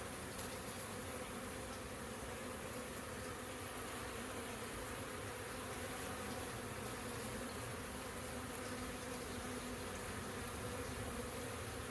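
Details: Honey bees working busily around their beehive in April 2024 make a continuous, even, humming buzz that holds the same low drone from start to finish.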